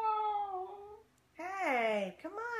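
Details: Basenji Ginger Snap, a female dog, being playful indoors. A flat, steady whine leads into an arching, rising-then-falling harmonic yodel-like cry, with a woman speaking affectionately to her over it.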